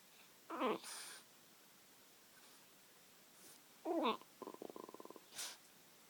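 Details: French Bulldog making weird noises: two short squeaky, wavering whines, the second followed by a fast snorting stutter, with soft sniffs between.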